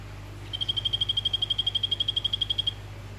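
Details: Vivarium-kept male orange Phyllobates vittatus calling a female gives one sustained trill of about two seconds. Roughly twenty-five fast, evenly spaced chirping pulses hold a constant high pitch, with low background hum.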